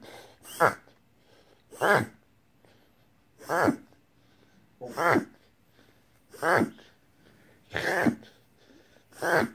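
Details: Whippet named Jasper having a reverse sneeze indoors, confirmed by a veterinarian as harmless: seven loud snorting, wheezy inhaled honks repeated about every one and a half seconds, separated by quiet pauses in a small room.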